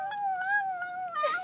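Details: Talking dog in close view with one sustained, smooth whining howl that wavers gently in pitch and ends with a quick sliding yelp.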